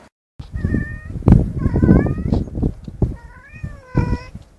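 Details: Tomcat meowing to call a female cat: four drawn-out, wavering, harmonic meows, each about half a second, with a deep rumbling, clattering background throughout.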